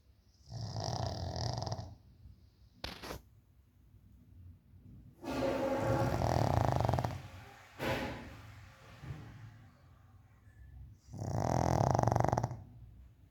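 A pug snores loudly, in rough, rumbling breaths separated by quiet pauses.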